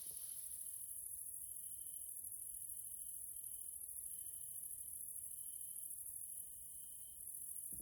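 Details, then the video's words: Evening grasshoppers (Caelifera) in a Hungarian nature area, Central Europe: a relentless high, hissing shrill beneath regular buzzing trill phrases separated by brief pauses, with a short rustle at the very end. "grasshoppers sounds in nature area Hungary Central Europe"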